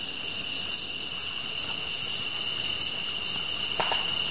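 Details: Short stretch of grass insects singing, a continuous thin trill with bright pulsed chirps repeating about four times a second. A faint crackle from the fire is heard near the end.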